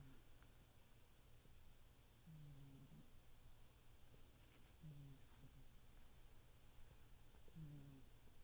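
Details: A pet cat sleeping indoors snores, said to be very loud: faint low snore pulses roughly every two and a half seconds, three heard, over steady room hum.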